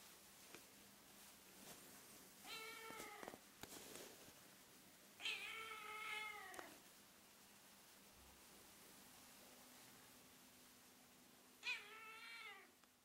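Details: Fluffy female Ragdoll-Birman kitten 'singing' to the camera indoors, appealing for something: three drawn-out, bending meows, the middle one longest, spaced several seconds apart over a low steady room hum.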